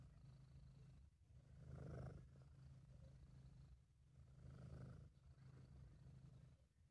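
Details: Sabu, a British Shorthair cat, purrs in a happy, relaxed mood: a deep, buzzing rumble that rises and fades in two long breath cycles, with inhale and exhale phases clearly alternating.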